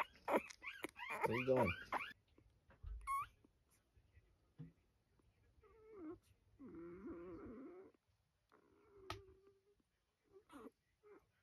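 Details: Orphaned coyote pups, three of them, taken in ahead of a wildlife rescue: thin rising and falling whines and squeals, a wavering whimpering run in the middle, with human speech at the start.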